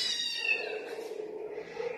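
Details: Inside a cat room, a cat lets out a long, nasal, harmonic-rich meow that starts bright and high, then settles into a steady lower drone before a softer second rise at the end.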